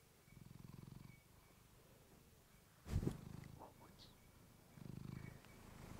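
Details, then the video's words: Female house cat purring into a fluffy microphone: a low pulsed purr swells near the start and again near the end, separated by a sharp thump and brief rustling in the middle. "Cat purring you to sleep with fluffy mic"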